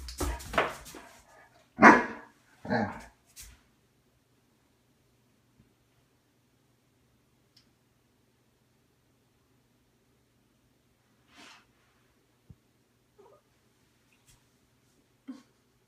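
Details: Great Dane trying to coax a Siamese cat into play, indoors in a small room: a burst of several loud barks in the first few seconds, then near silence with a few faint soft sounds.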